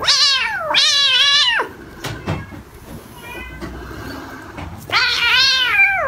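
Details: Kitten giving two long, wavering meows back to back, then a quiet pause with faint clicks, before a third drawn-out, undulating meow.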